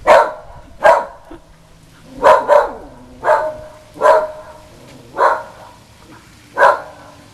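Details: Normally quiet female whippet barking in a frenzy at the Goodyear blimp flying over on a sunny day in South Florida; eight sharp, loud barks, some doubled, spaced roughly a second apart, with faint background hum.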